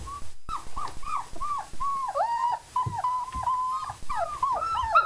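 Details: German Shepherd puppies, four weeks old, freshly fed, whining in a steady run of high, wavering whimpers, some drawn out and bending downward, calls following each other almost without pause over a quiet background.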